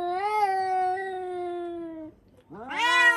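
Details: Domestic cats indoors, screaming suddenly, usually after spotting another cat outside; a long drawn wail that sags slowly for two seconds, a short silence, then a sharp rising, louder scream.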